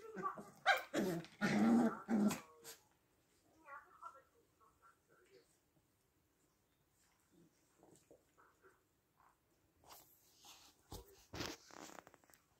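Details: Six-week-old puppies, a litter of several, giving a burst of loud yelping and growling barks in the first three seconds, then softer scattered whimpers and squeaks, with a few more sharp yelps near the end.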